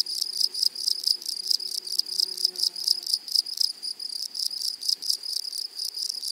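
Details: Grasshoppers in a flowery meadow chirring in quick bursts, roughly two pulses a second, shrill and high, with faint low tones behind.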